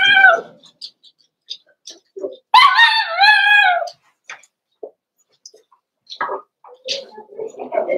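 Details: Cavalier King Charles Spaniel puppies in an indoor puppy pen, meeting older household dogs for socialization on 13 December 2022. A single drawn-out, wavering whine rises and falls for about a second, among scattered soft yips, clicks and faint voices.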